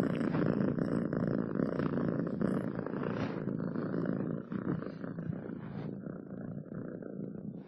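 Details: Cat purring close to the microphone, a low continuous rumble partly masked by rustling and handling noise, growing softer toward the end.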